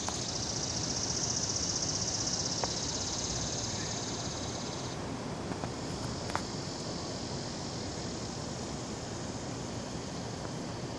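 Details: A chorus of many cicadas, recorded 16 August 2015, gives a steady, high, shimmering buzz, louder at first and then easing.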